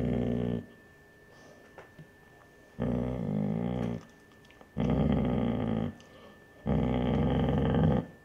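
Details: Basset Hound mother guarding her pups against an older dog, indoors: long, harsh, rasping growls lasting one to one and a half seconds each, four bursts separated by short quiet pauses.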